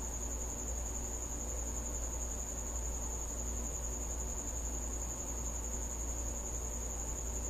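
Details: After dark, a cricket visiting a home keeps up an even, high-pitched trill from start to finish, set against steady low-frequency rumble.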